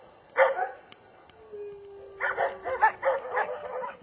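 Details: German Shepherd letting out one sharp bark, a quiet gap with a faint steady tone, then a quick string of harsh barks.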